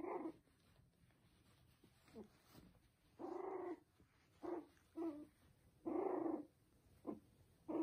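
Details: Poodle and Bichon puppies give short, nasal whining yelps in separate bursts about every second, some drawn out and wavering, over a steady faint hiss.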